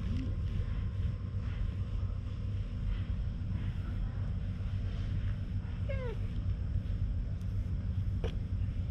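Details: Talkative stray cat being petted in a deserted shopping street, filmed on a GoPro HERO8: one clear arched meow late on, a faint short sound at the start, over steady low rumbling background noise.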